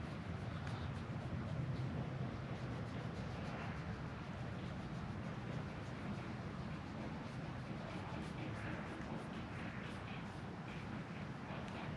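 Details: Low, steady outdoor rumble like wind or distant engines, with faint indistinct noises and no animal calls.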